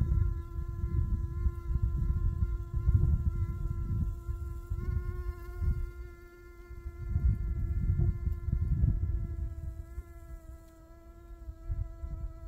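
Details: Honey bee buzzing in a steady, droning hum with a level mid-low pitch and a stack of overtones, slight pitch shifts near the end, over low rumbling wind noise that swells and fades.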